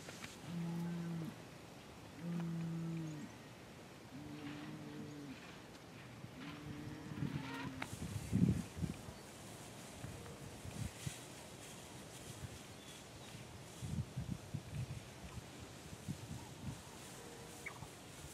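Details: Fighting bull out in the field: a run of five short, deep, even moos spaced about two seconds apart in the first eight seconds, followed by quieter rustling and knocking with open-air background noise.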